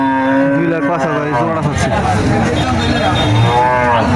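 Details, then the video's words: At Cumilla's Moynamoti cattle market in Bangladesh, Sahiwal cattle give drawn-out low moos, one held steady at the start and a wavering call later, with market hubbub and passing vehicle noise behind. "লাখ টাকার শাহীওয়াল ষাঁড় ময়নামতির হাট"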